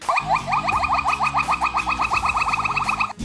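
A silvery gibbon gives a fast, steady series of short, clear hooting notes at a mid pitch.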